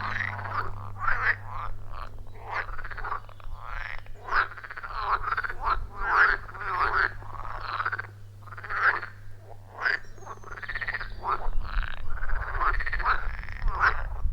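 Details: Loud, rhythmic croaking from many frogs around a wild pond deep in a forest, recorded on an iPhone 14 Pro with Shure MV88+: quick repeated calls and longer rasping notes overlap continuously, with a low hum underneath.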